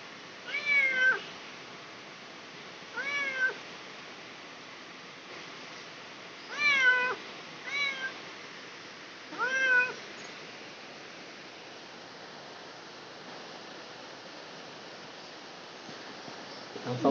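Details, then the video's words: Cat in labour giving softer, drawn-out meows in the first ten seconds, five calls spaced a second or two apart, then quiet room noise. "Kucing Melahirkan"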